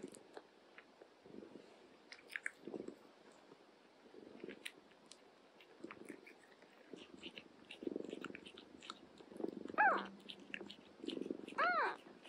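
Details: Domestic cats, an older cat looking after a young mother cat and her kittens, with steady chewing and crunching through most of the recording, then two short rising-falling meows near the end.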